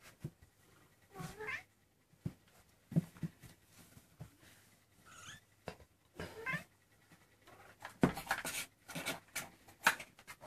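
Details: Indoor Maine Coon kittens aged 23 days giving a few scattered, wavering meows amid frequent clicks, rustling and handling noise.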